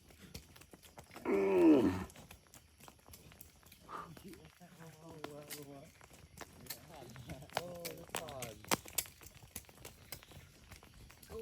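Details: Cattle herded through forest toward their shed, jumping happily; one loud, drawn-out harmonic moo near the start, followed by quieter voices and scattered rustling and clicking sounds.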